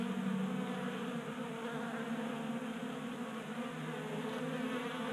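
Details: Continuous humming of honey bees gathered at a table-top 3D printed feeder, Colorado garage in January during late warmth; a dense, even buzz with rich overtones and no pauses.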